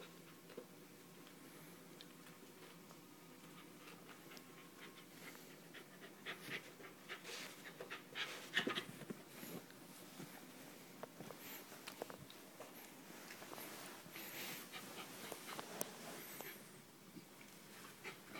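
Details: Nitaro, a Westie, breathing in soft, airy bursts that come in irregular runs, with the breathy huffs swelling midway and some light handling rustles in a quiet room.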